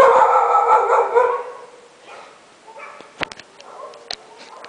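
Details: Dogs at midnight open with a loud, rough, sustained bark-howl, then fall to softer calls punctuated by short sharp clicks and yips.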